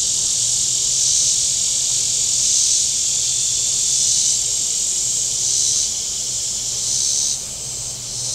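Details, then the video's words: Cicadas along the shore of Table Rock Lake, southern Missouri, on a very warm Saturday: a loud, shrill, pulsing buzz that surges and eases and drops away near the end, over a faint low engine hum. "Boating Lake Sounds and Cicadas"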